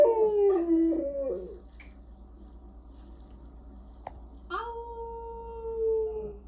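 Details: Bulldog. A bulldog howls in drawn-out, tonal notes that waver and break near the start, then glide slowly downward. After a pause comes a sustained, gently falling howl, with a low steady hum underneath.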